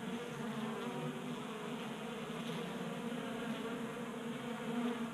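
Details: Honey bees feeding from a 3D-printed tray in a Colorado garage in January, a constant low buzzing hum of several bees with faint wavering as they move around the feeder.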